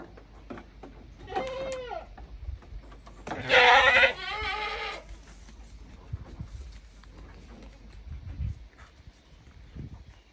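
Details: Male goat getting down from its cage. It gives a short, wavering bleat, then a louder, harsh, strained bleat lasting about a second and a half. Faint scuffing and background noise follow.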